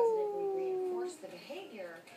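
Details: A Pomeranian howls along to a televised dog show, a thin, high howl sliding slowly downward, followed by television voices.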